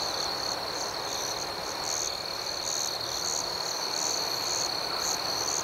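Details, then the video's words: Crickets at night in a dense chorus: a steady, high-pitched ringing trill beneath a higher, rapidly pulsed chirping that repeats in quick, uneven bursts; no other sounds stand out. "Soothing Cricket Sounds"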